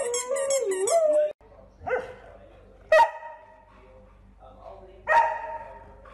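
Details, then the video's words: Golden Retriever giving single loud barks spaced one to two seconds apart, with a man speaking at the start and quiet room noise between barks. "Golden Retriever Barking Sounds To Make Your Dog Bark | Aggressive Growling"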